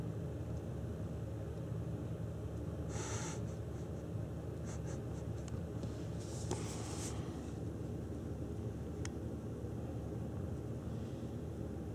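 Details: Low indoor rumble with a few scratchy, brief knocks and rustles, and no animal voice.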